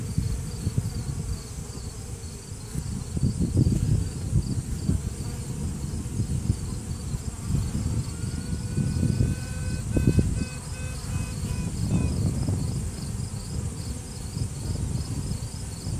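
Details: Inside a beehive during an inspection, a virgin queen honey bee sounds off to assert dominance. A few seconds of tonal, pulsed trumpeting rise above the constant low buzz of the worker bees around her.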